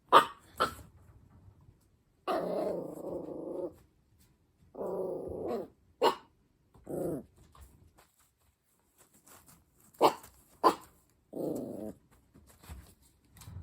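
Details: Black Shiba Inu puppy on its first night in a new home, crying in its cage after the lights go off: drawn-out, moaning whines of one to two seconds repeat with pauses, alternating with short sharp yelps in a quiet room.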